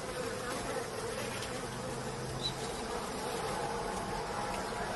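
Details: Low, even hum of many bees while men gather honey, a continuous buzzing drone with a faint rumble underneath and no clear breaks.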